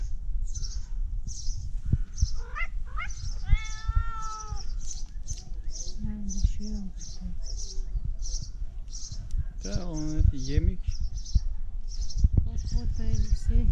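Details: A tabby cat gives several nasal, wavering, duck-like meows, seemingly asking for food, while a woman talks softly nearby.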